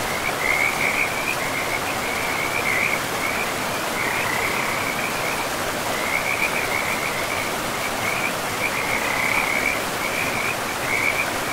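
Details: Frogs calling by a river in moss-covered forest. Rapid, scratchy croak trains repeat almost without break at a fairly high pitch, with a few brief gaps. Steady rushing water fills the background throughout.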